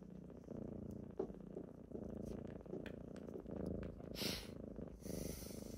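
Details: Kittens purring close up on a typical morning as they rouse their owner, a rich rhythmic rumble with faint breathy pulses, plus bedding rustles and a couple of brief hissing noises.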